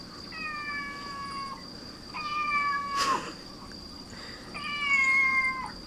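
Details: Cat meows that draw other cats to gather: three long, steady, tonal meows, each about a second, spaced roughly two seconds apart, with a sharp knock or click between the second and third.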